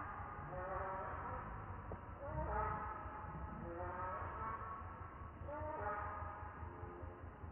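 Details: Hungry baby monkey crying for milk: wavering, harmonic-rich wails that rise and fall, given in short bursts every couple of seconds over a low rumbling background.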